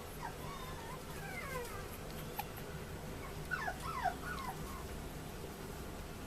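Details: High yelping whimpers from a male Chihuahua puppy born 30 July 2014 at a pet shop in Yokosuka, Kanagawa, Japan: short, wavering, squeaky notes come in two bursts, early and again near the middle, over a low indoor hum.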